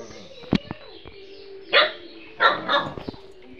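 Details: House dog that fails to recognise the owner's wife barks at her: a few rough barks spread over several seconds among clicks, handling noise and a steady background hum.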